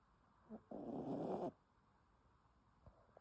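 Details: Sleeping dog snoring, a single harsh, rasping breath of almost a second, preceded by a soft short snuffle, then quiet.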